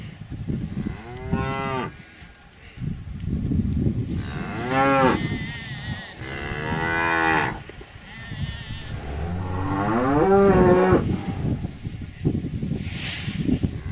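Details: Series of cow moos: several rising, harmonic calls of one to two seconds each, spaced by quieter rumbling, including a long wavering moo near the middle and a late, louder one.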